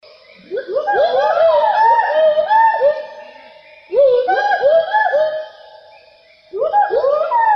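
Gibbon calling in loud bursts of swooping, rising-and-falling hoots with overlapping notes.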